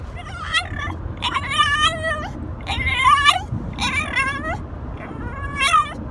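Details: A pet Frenchy that talks and tells his owner he loves him. Five rapid, yodel-like whining phrases, rising and falling, some quavering, with a steady low hum underneath.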